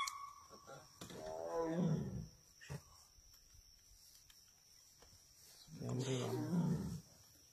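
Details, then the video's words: Wild tiger sighted in Ranthambhore National Park gives two deep, drawn-out roars, each lasting about a second with a rough, pulsing low tone, separated by a few seconds of quiet; people talk nearby in Hindi and English. "Tiger Roar"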